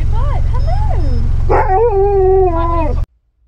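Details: Husky howling in a vehicle at a drive-thru: wavering, yodel-like tones that rise and fall over about one and a half seconds, then a longer steady howl that slowly sinks, over a constant low engine hum.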